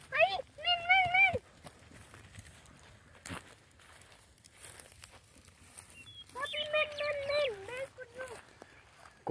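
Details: Boer goats kept by children starting their own goat herd, bleating while the children play with them: two long, quavering, nasal bleats, the second longer and wavering, amid excited children shouting and calling in Spanish.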